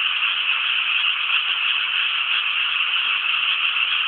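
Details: Frog chorus from rice paddies around Inasato, Nagano City, Japan: a dense, continuous rattling wall of many overlapping croaks, steady in loudness throughout, with no other clear sounds.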